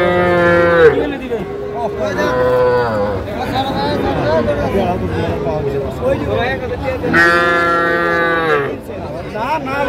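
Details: Small bull calves for sale at a cattle market in Comilla, Bangladesh, 14 February 2025: several harmonic, wavering moos, one at the start, another near two seconds and a loud long one near seven seconds, amid steady crowd talk.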